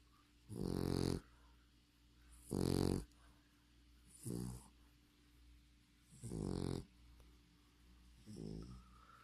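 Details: Snoring English Bulldog: heavy, guttural, vibrating snores, five in a row spaced about two seconds apart, some louder and longer than others, with a quiet steady hum filling the gaps.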